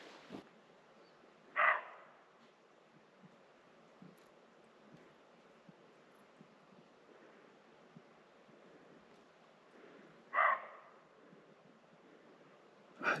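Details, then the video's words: A deer, thought to be a roe deer but unconfirmed, calls from up the slope while a family camps and hikes in the mountains above Planoles, giving short, harsh, bark-like calls several seconds apart over a quiet background. "So, there is a deer up there. Can you hear it calling?"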